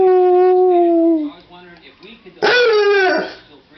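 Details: Dog answering its owner's howl: a steady level howled tone fades out, then after a short pause a rougher, louder howl bursts in and falls away within about a second.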